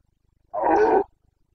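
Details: Carpathian stag, a red deer, bellowing during the breeding-season boncănit in the mountain forests and clearings of Bucovina, 29 September 2022; a single loud, hoarse, harmonic roar of about half a second, clear and close.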